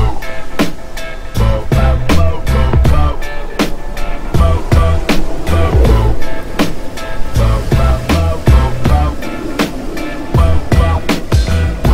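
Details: Loud background music with a heavy bass beat and percussive hits roughly twice a second, melodic tones above, no animal sounds.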